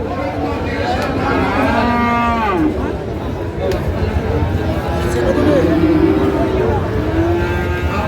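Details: Lowing from Friesian and crossbred bull calves in a busy Raniganj cattle market, Dinajpur, Bangladesh, on 20 March 2025; several overlapping moos sound over the hubbub, with traders' voices and a passing vehicle.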